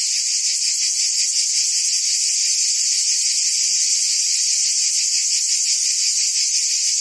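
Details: A wall of shrill cicada buzzing from forest trees, continuous and even, with a slightly stronger, quickly pulsing lower band beneath the bright drone.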